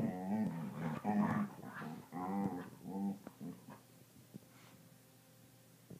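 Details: Seal-sounding border collies Theo and Carson indoors, trading quavering, wobbling moans in quick bursts for about three seconds, then quieter grunts and faint taps as the sounds die away.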